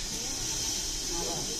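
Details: Large Russell's viper, alarmed and angry during a rescue, gives a steady, loud, breathy hiss lasting the whole moment, strongest in the high range, with faint human voices underneath.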